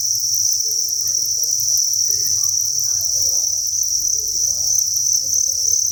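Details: Thousands of crickets in an indoor cricket breeding farm chirp together as a dense, continuous high-pitched shrill buzz. It stays steady, with a faint pulsing shimmer, and there are no gaps for the full six seconds.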